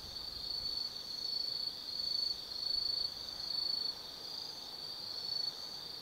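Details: Night-time autumn insects at Tsukimi no Mori above the Nobi Plain, Kaizu, Gifu, Japan: a high ringing trill rising and falling in loudness in slow waves under a second apart, with quieter callers steady behind.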